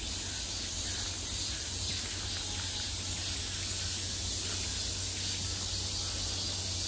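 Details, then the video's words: Midsummer cicadas heard from all directions, an even, intense high-pitched buzzing wall of sound with a steady low hum beneath. "매미소리를 들으며 휴식. Cicadas's buzzing sound"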